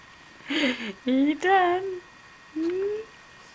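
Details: A dog singing in four short tonal howls, mostly level or gently rising, the first wavering and falling, with a longer pause before the last rising note.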